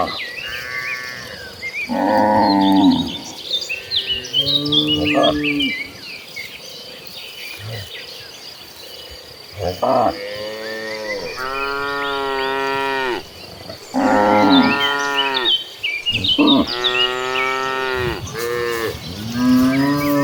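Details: Cattle herd heading toward a green pasture, many cows mooing one after another, drawn-out rich lowing calls of varied pitch overlapping, with insect chirring and small bird notes in the background.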